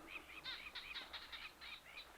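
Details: A chorus of barking geckos, said to throw their voices like ventriloquists, recorded on a 2014 expedition in remote Botswana and Namibia; rapid, overlapping clicking chirps follow one another several times a second, with the nearer callers standing out as sharp accents.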